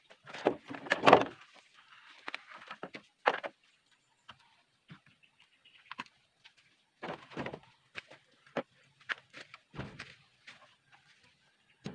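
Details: Scattered knocks, clatters and rustling handling noises separated by near silence, with no animal voices.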